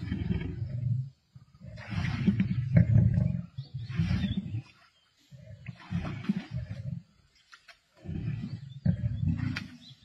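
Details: Male lions of the Black Dam coalition feasting on a kill alongside the Avoca Pride, Sabi Sands, 31 March 2024: deep rumbling growls in long bursts, broken by short silences, with faint tearing and chewing noises.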